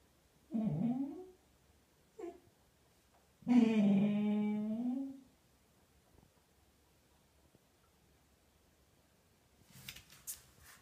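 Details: A Golden Retriever, female, mutters to herself inside a small room, giving a short grumble, a brief yip-like sound, then a long sustained low moaning groan lasting nearly two seconds, followed by quiet and faint rustling.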